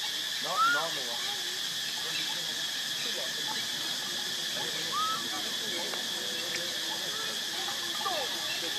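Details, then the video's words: Baby monkey Lucie, pitiful and hungry for milk, foaming at the mouth, cries in three brief arching, wavering squeals spaced a few seconds apart, over a steady loud hiss. "Lucie Very Pitiful Need Milk Crying foaming At The Mouth I Lovely Baby Monkey"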